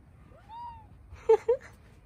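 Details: A Bengal cat in hot weather gives a soft rising meow, then two sharper, louder chirping meows; Bengal cat (Felis catus), meow.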